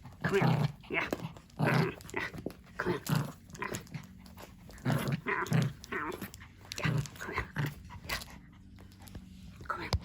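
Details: Pomeranian named Hendo, a male dog celebrating his second birthday, born 20 August 2021; short, rough, broadband bursts come roughly every one to one and a half seconds, overlapped by a person talking throughout.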